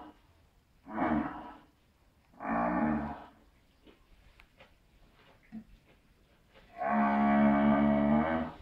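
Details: Pedigree Shorthorn cow moaning while bringing up her cud to chew, not in pain, a habit since calfhood; three harmonic, nasal moans, the last longest and loudest, separated by quiet pauses with faint background noise.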